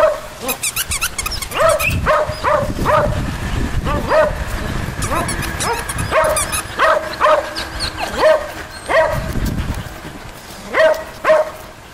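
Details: Poodle puppies playing together, with the cream standard poodle Grant, let out a busy stream of short, ringing yelps and squeaky yips, overlapping at times, some in quick pairs, amid thumping low scuffling sounds.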